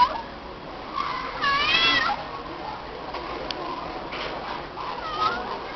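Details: Stray female cat answering when her name is called, giving a strong wavering meow lasting about a second near the middle, followed by softer, shorter meows, against light background noise.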